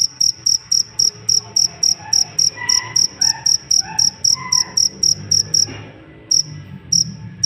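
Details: Jangkrik, a cricket used as a master for songbirds, gives rapid regular chirps about four a second, high and ringing, pausing briefly near the end before resuming; soft whistled bird phrases sound in the background.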